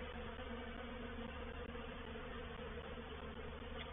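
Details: Honey bee reproductive swarm entering a swarm trap at Painted Peacock Manor on 04/07/21, a steady, unbroken low hum of many wings with faint banded tones throughout.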